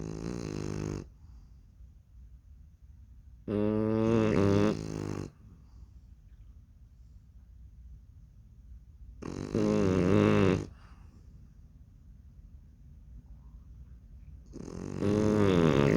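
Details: Baby French Bulldogs sound asleep, snoring like a performance: four heavy, gravelly snores come roughly every five to six seconds, each a rattling drawn-in breath about one to two seconds long, with soft hushed breathing between them.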